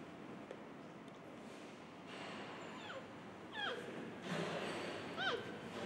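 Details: Giant panda cub, 106 days old, born 22 November 2020 at Adventure World in Shirahama, Wakayama, Japan, calling to its mother Rauhin, perhaps wanting play, milk or a better position: short squeaky downward-sliding chirps with harmonics, clustered late, over steady hiss.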